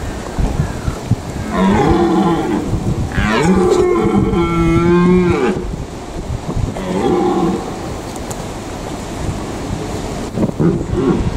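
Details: Red deer stag in the Eifel, Germany, gives several long, moaning rutting roars, each drawn out for a second or two, calling during the rut to attract hinds.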